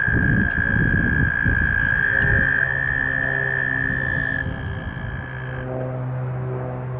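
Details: Mating American toads in northern New Jersey: a long, steady, high musical trill holding one pitch for about four seconds, a second trill overlapping and ending later, with low rumbling background noise.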